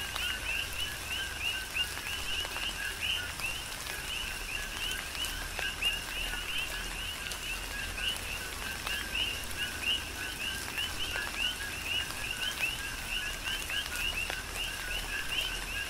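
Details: On the Big Island of Hawaii, many coqui frogs keep up a rhythmic chorus of quick rising chirps through a tropical downpour, with rain patter and sharp drip clicks in the background.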